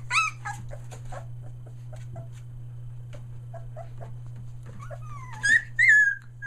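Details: Australian Shepherd puppies a day short of three weeks old, including three merles, indoors near Mooresville, North Carolina, finding their voice; a few high whiny squeals open and close the stretch, with faint scattered yips between and a steady low electrical hum.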